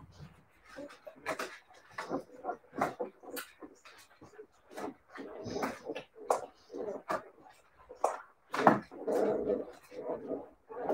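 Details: Husky puppies of the Siberian breed whimpering and yipping irregularly indoors, a long run of short squeaky cries and nasal whines, some clustered, some spaced, with a louder squeal near the end.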